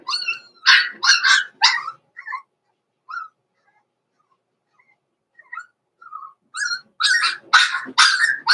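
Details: Young Blenheim Cavalier King Charles Spaniels, born November 14, 2022, in a home puppy pen at Christmastime. A rapid burst of shrill barks gives way to scattered small whines, then another fast volley of loud yapping barks.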